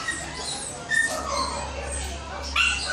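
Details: Snow, a Shih Tzu at the groomers for the first time, gives a few brief high-pitched whines, one near the start and another at the end, while people chat over a constant low hum.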